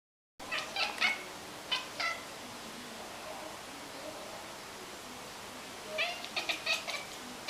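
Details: A domestic cat chatters in quick bursts of clicky, stuttering chirps, a sound of excitement at spotting prey like birds or rodents, or frustration at prey out of reach. It is said to mimic the prey's sounds.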